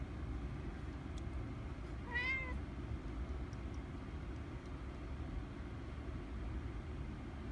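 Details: Tonks the cat, battling a mantis, lets out one short rising-falling meow amid steady low outdoor rumble like distant traffic.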